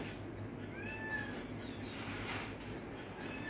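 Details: ['Pet cats at dinner let out thin, rising-then-falling mews in a short run around the middle. Low hum and a brief Bengali voice are also heard.']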